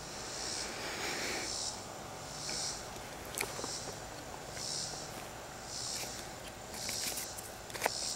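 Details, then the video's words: Cicada singing in a tree, heard more faintly: hissing high buzzes pulsing roughly once a second over steady background noise, broken by scattered sharp clicks and knocks. "Cicada singing"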